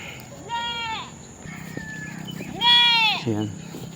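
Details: Domestic goats being tied outside, two strong wavering bleats about two seconds apart, the second louder and ending in a low grunt, with a person speaking between them and a steady high whine.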